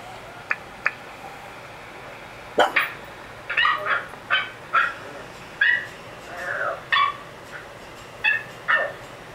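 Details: Lucy, a female Pekingese dog described as a curious little girl, gives a series of short, high yips and soft whines, irregular and spaced about a second apart, with brief sharp taps early on.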